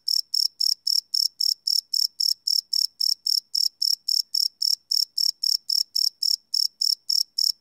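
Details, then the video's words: Crickets chirp in the dark, recorded live with a Sony PCM D100 field recorder; sharp high pulses repeat steadily about three to four times a second against a silent background. "Cricket Chirp Sound - Cricket Sounds at Night"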